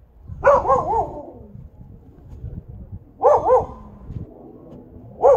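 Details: Siberian Husky facing its most hated enemy, giving loud, tonal double woofs that rise and fall, grouped in pairs about three seconds apart, with faint low background noise.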